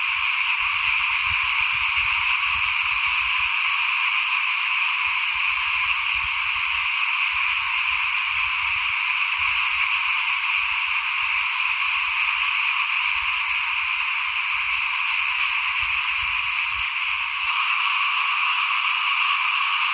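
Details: Small frogs calling in front of a house as rice is sown for planting in 2021, a long, unbroken, even trilling chorus from many frogs, with intermittent low rumbling in the background.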